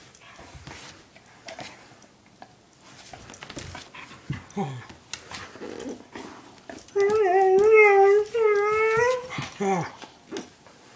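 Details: Household dogs Chinook, a one-year-old husky, and Lola, an eight-year-old German shepherd mix: over a busy background of knocks and faint voice-like sounds, a sustained, steady, wavering whine runs for about two seconds, followed by a shorter second whine.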